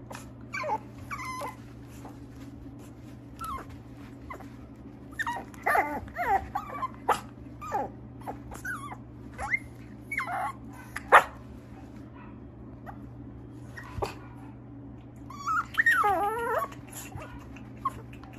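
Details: Mixed-breed dog kept by a dog breeder in Okayama, Japan, whimpering and whining in scattered short high-pitched bursts, some rising and falling, with quiet gaps between, over a steady low background hum.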